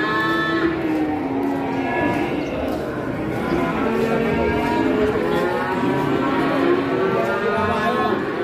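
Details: Large cattle at an Indonesian livestock trading pen, shown being sold and hauled away. Drawn-out, wavering harmonic lowing rises and falls over steady background music and crowd chatter.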